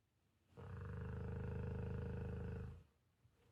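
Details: Two Pit Bulls cuddle asleep on a lazy morning the day before Thanksgiving; one long, low, rumbling snore lasting about two seconds, finely pulsed and steady, rising and fading smoothly against a quiet room.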